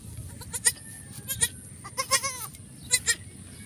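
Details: Goat giving birth to kids on a farm; soft, short quavering bleats with harmonic stacks, in pairs and small clusters about every half second to a second, over a low steady background hum.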